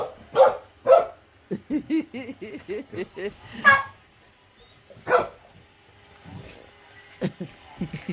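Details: Frightened female terrier barking at a robot vacuum; two sharp barks open, then a woman talks over it, followed by another loud bark, one more bark near the middle, and further talking with faint household noise.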